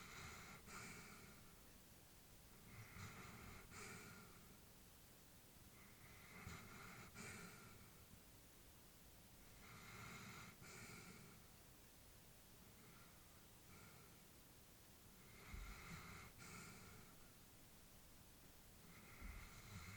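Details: Elderly female Labrador Retriever asleep at home, calm steady breathing with soft hissing exhales and light snorts, about seven breaths spaced evenly over the stretch, quiet indoor background.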